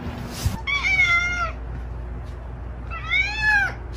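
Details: A cat mews twice, each call roughly a second long and pitched fairly high. The second call arches upward before falling away, with a quiet pause between the two.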